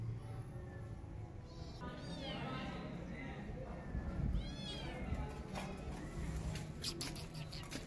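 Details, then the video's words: Mother cat defending her newborn kittens by running after a feral cat; several drawn-out meows with arching, wavering pitch rise over a steady low rumble and scattered clicks. "Angry Mom Cat Running After Feral Cat To Protect Her Newborn Kittens"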